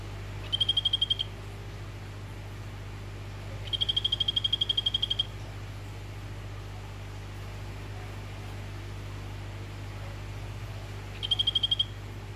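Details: Captive orange Phyllobates vittatus male calling toward a female in a terrarium. Three separate pulsed trills sound high and even; the middle one is the longest. Long quiet gaps fall between them, and a faint low hum is present.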